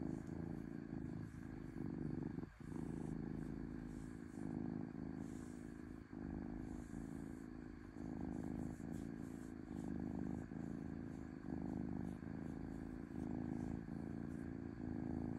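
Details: Low, continuous purr from a domestic cat, rhythmically rising and falling with each breath roughly once a second, broken by a short sharp tick early on.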